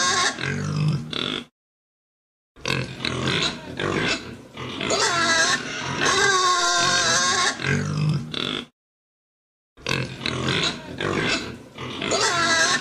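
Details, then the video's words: Pigs giving loud, harsh, harmonic squeals and grunts in bursts of one to six seconds, broken by short silences, with pitch wavering up and down through each squeal. "Tiếng con heo kêu"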